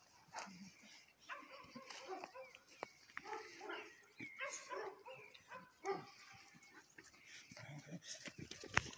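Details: Miniature Bull Terriers snarl and growl in harsh, ragged bursts in a sudden fight that ended without injuries. While the dogs were playing, one found an old bone and the male launched at the female. A Presa Canario watched.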